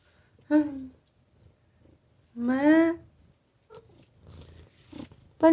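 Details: House cat named Aegi ('Baby'), a feral kitten rescued near death in summer 2018 from four wild siblings, said to call its keeper 'mom'. Two clear, tonal meows, the second longer and falling, with quiet room noise between.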